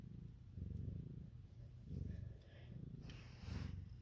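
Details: Deep rhythmic purring from a house cat with newborn kittens, a Siamese and calico mother pair; the rumble rises and falls with each breath, about every second, over a quiet room.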